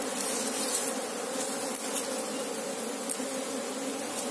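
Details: Asian honey bees (Apis cerana) in an active colony during a search for the queen: a dense, steady hum of many wings, layered bands low to mid pitch, unbroken throughout with faint higher hiss.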